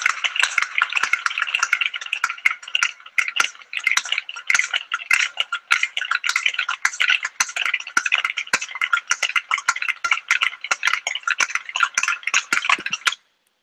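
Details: Small group of sperm whales that have dived and are hunting squid underwater by echolocation, recorded underwater: dense, sharp, broadband clicks rapidly overlapping in an irregular rattling stream throughout, with no other sounds.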